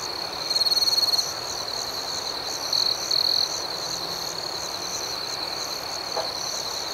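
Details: Night chorus of crickets: a constant piercing trill with rapid pulsed chirps, interrupted by short louder chirp phrases near the start and around three seconds, and a soft tap near the end.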